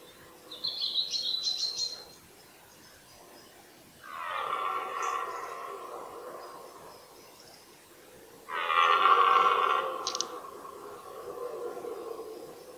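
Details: Red deer stag bellowing during the 2018 rut, with fourteen-point stags facing off and fighting: two loud, harsh, rough roars of about two seconds each, separated by a pause, after high chirping from a small bird.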